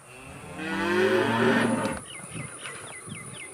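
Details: A cow gives a long, deep, droning moo, followed by quick chirps from small birds.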